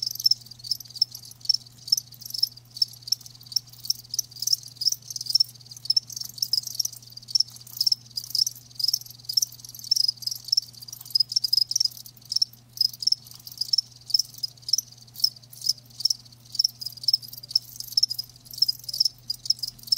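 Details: Crickets, live, keeping up a continuous high chirping chorus; rapid pulsed bursts overlap almost without pause across the whole stretch, with a soft low electrical hum underneath.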